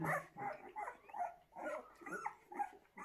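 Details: Several fawn Bullmastiff puppies from an Italian litter of seven males and three females give rapid, uneven yips and whines, roughly two or three per second, crowded and overlapping.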